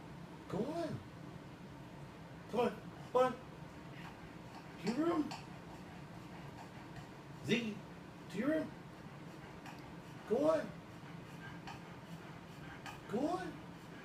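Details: Ziggy, a defiant domestic cat, argues with his owner about where he may lie, answering with drawn-out arched meows about every two seconds while a person keeps urging him to go to his room.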